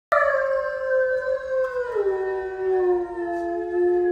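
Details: Dog howling: one long, steady, tonal howl that holds level and then slides down to a lower pitch, sustained to the end, with no other sounds.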